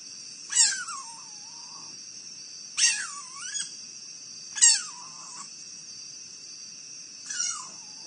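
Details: Raccoons fighting in Akron, Ohio, USA, heard on a live wildlife camera. Four shrill squeals, each starting high and sliding down into a wavering whine, come about every two seconds over a constant high electronic whine.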